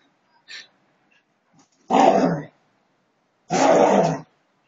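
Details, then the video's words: Siberian Huskies fighting in fun: a faint yip, then two separate harsh, grating growl-barks of about half a second each, spaced roughly one and a half seconds apart. "Husky Dogs'friendly fight"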